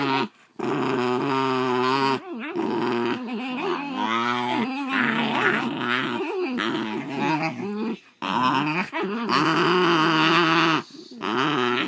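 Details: Indoor near fight between two Basenjis, MBibi and Kimba, as MBibi tries to take Kimba's toy: long sustained growls with a warbling, rising and falling pitch, almost yodel-like, broken by a few short pauses.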